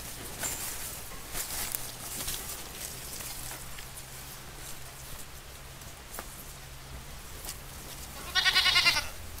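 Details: Goats feeding on grass. Mostly soft rustling and tearing clicks, then a short, loud, pulsing bleat near the end with a steady low hum in the background.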